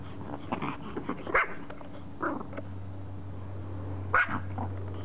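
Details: Pomeranian Loo, full name Regalo, pleads for someone to throw her toy with a rapid run of high, sharp barks and yelps, bunched in quick bursts with brief pauses, against a steady low hum.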